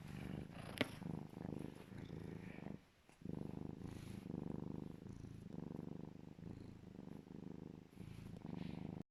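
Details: Loud contented purring by the serval Legolas while being cuddled: rhythmic low throbbing pulses, one short break near three seconds, then the steady purr carries on.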